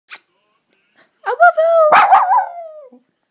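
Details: Female puppy, trained by its owner to say "I love you", vocalizes on cue. A drawn-out, tonal, whining howl lasts about a second and a half, wavering up and down in pitch, with a short sniff beforehand and quiet afterward.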